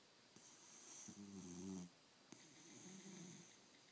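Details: Bucky, a 13-inch beagle sound asleep, snoring like a human: a rough, low, buzzy inhale lasts under a second, then a softer, longer rattling snore follows after a brief pause.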